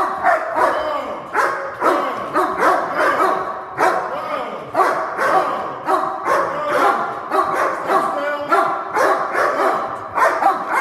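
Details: Protection-trained pair of dogs holding and barking together on command: steady, overlapping bursts of harsh barks about twice a second, tightly layered so the two voices merge into one constant barrage.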